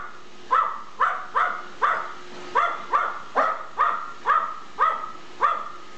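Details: Gizmo, the smallest and most dominant of the household dogs, barks nonstop at a Roomba robot vacuum on their first encounter. About eleven sharp, evenly spaced barks come roughly twice a second over a low background hum.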